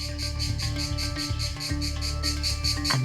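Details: A male cicada sings a loud, shrill buzz pulsing several times a second, an ear-piercing mating call made by drum-like tymbals in its abdomen to attract a female of its own species, in the wilds of Thailand, over steady low background music.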